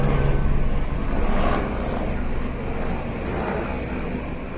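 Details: A steady low rumble of engine or vehicle noise, with no animal calling.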